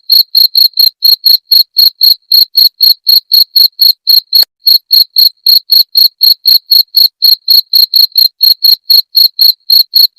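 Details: Chirping cricket, played as a rat repellent: an unbroken train of sharp, high, evenly spaced pulses near four per second, with a single short pause and a soft click near the middle.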